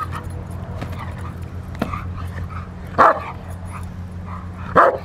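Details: Rottweiler doing protection work on the post, recorded March 27, 2021: a few sharp, single barks spaced irregularly, the loudest at about three and five seconds, over steady low background hum.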